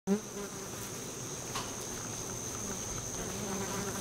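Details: Western honey bees (Apis mellifera) busy at the entrance to a bee tree hum in a low buzz that shifts in pitch as many wings beat together.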